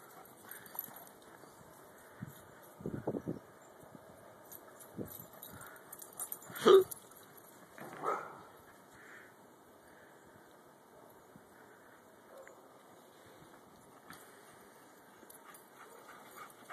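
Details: Shar Pei dog having fun playing in the snow outdoors in winter; a few short, scattered woofs and snorts, loudest near the middle, between quiet stretches of crunching movement.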